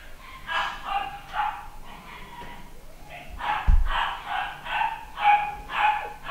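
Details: A 9-week-old male pedigree Papillon puppy barks in bursts of sharp, high yaps, about ten in all, with a pause mid-way and a brief low thump.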